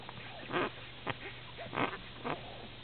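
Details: Small Lhasa Apso puppies, recorded on 29 December 2008 while still very little, make about four short nasal squeaks and whines with curling pitch, close to the microphone, over a low steady hum.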